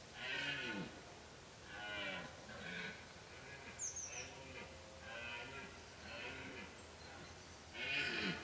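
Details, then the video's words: Mass roaring of rutting deer in Kopački rit Nature Park, Croatia, a protected reserve where hunting is banned. Several animals call over each other in a continuous chorus of hoarse, harmonic, downward-curving roars, with one brief high bird note. "Massive deer roar in Kopacki rit, Croatia - Masovna rika jelena u Kopačkom ritu"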